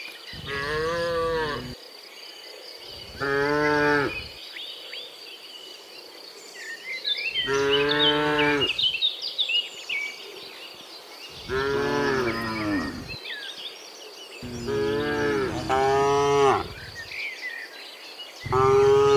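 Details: A herd of tame cattle being guided into the pen, moo after moo of one to two seconds each, some rising then falling, with busy birdsong and a high insect hum throughout.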